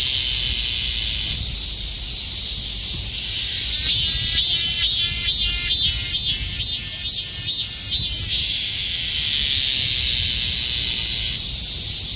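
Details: Swarms of cicadas crowded together in summer heat, calling in unison: a steady piercing buzz that breaks into a run of quick, regular throbbing pulses midway, then settles back into an even drone.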